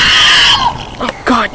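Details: Tasmanian devils (Sarcophilus harrisii) in an enclosure at a wildlife park in Bicheno, Tasmania, before feeding time give a harsh, raspy scream, followed by a person speaking excitedly. They had been screaming at each other in aggression.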